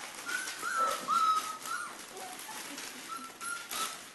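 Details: Litter of 3.5-week-old Pyrenean Mastiff puppies, Querida de la Tierra Alta, producing thin whistled whines, a few drawn-out tones that waver and slide, fairly soft against background rustle.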